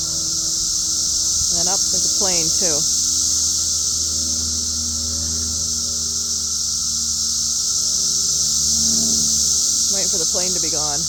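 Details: A cicada's steady, high, hissing drone fills the air, swelling up and then falling back a little, with a man's voice speaking briefly.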